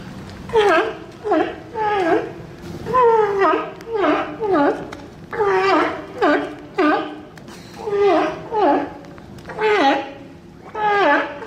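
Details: Sea lion giving a steady series of harmonic, bleating calls, each about half a second long with a pitch that dips and then rises again, repeating roughly every second with short pauses between groups.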